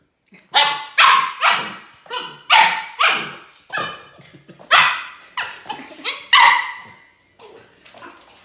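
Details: A 13-week-old Siberian Husky puppy on its first day with a new family gives a rapid run of sharp, high, yappy barks, about a dozen in eight seconds, with softer yips between them.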